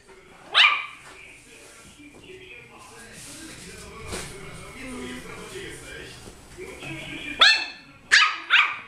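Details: Puppy giving a single sharp bark, then a long stretch of quiet talking and background sounds, ending with a quick run of three high yaps.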